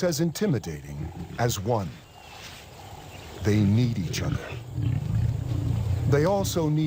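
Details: Lions fighting in the wild: after a stretch of narration, a low, rough growl swells up and holds for several seconds, deep and rumbling with snarling peaks, with a man's commentary returning briefly over it.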